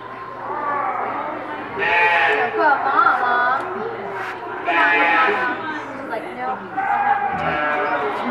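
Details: Newborn piglets from two litters born on a Monday at Reston Zoo, giving loud, harmonic squealing bursts near two, five and seven and a half seconds, with people talking throughout and background music.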